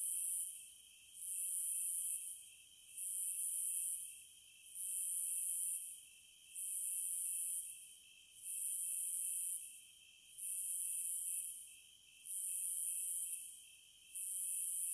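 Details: Nine evenly spaced bursts of shrill cicada buzzing over fifteen seconds, each a little over a second long with brief dips between, backed by an unbroken lower tone.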